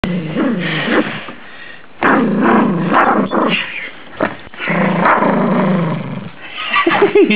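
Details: Rhodesian Ridgeback rescue dog, very small, playing his favourite game: rough, throaty growling and grumbling in uneven bursts with short gaps, pitch wavering as he tussles; background music throughout.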